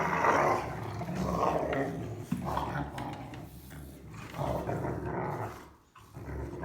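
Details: Three young German Rottweilers playing and fighting together: rough, rumbling growls rise and fall in long overlapping bursts, with brief pauses and scuffling between them.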